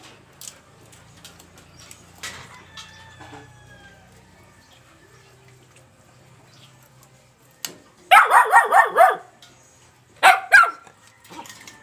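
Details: Black Labrador Retriever Tom Tom as a puppy of two to seven months: quiet room noise, then a rapid burst of five or six yappy barks and one more single bark.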